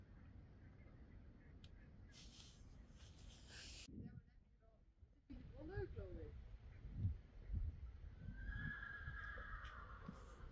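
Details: Friesian horse giving a short whinny of a few quavering harmonic pulses near six seconds, set among rustling, hoof thuds and low background noise.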